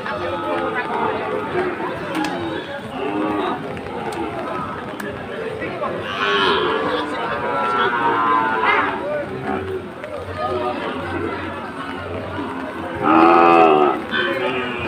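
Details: Sahiwal bull cattle in the rain in Chittagong, Bangladesh, second day of Eid; several lowing calls through the clip, climaxing in a loud, drawn-out moo near the end, over people talking and music.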